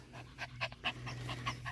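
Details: Yorkshire Terrier panting after a groundhog nearly got it; quick, breathy, rhythmic bursts repeating about five times a second, over a steady low hum.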